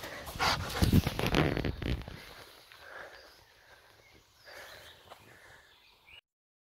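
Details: Boar-hunting Jagdterrier Gröschel von der Lönsmeute, bred from Adele and Diego von der Lönsmeute, gives a quick string of loud, deep barks for about two seconds, then fades to quiet outdoor rustling.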